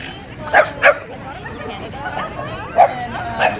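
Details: French Bulldog upset with its owner, giving short sharp barks in pairs near the start and again toward the end, with quieter whining tones and faint background voices between them.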